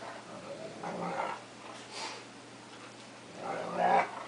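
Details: Play fight between two household dogs, a cocker spaniel attacking a wolf–Akita cross: two throaty growl bursts, one early and a louder one near the end, separated by a quieter stretch of panting and shuffling.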